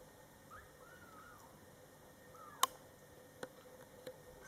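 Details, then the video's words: Soft, high, arching mews from young Scottish Fold kittens in their first month, mother Coco nearby, followed by a few sharp clicks and taps indoors. "Mom Cat Talking to her Cute Meowing Kittens"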